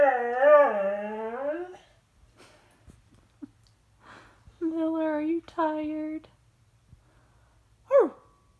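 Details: After dropping his toy, Miller the dog lets out a long, wobbling howl, then quieter whimpers and two steady, flat moaning notes, ending in a quick downward yelp; the room is otherwise quiet.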